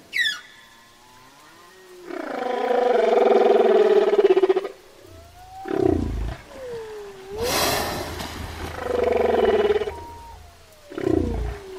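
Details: Whale song mixing long, rough, buzzy harmonic drones with smooth sliding moans that glide up and down, plus a loud noisy burst near the middle and short rising swoops.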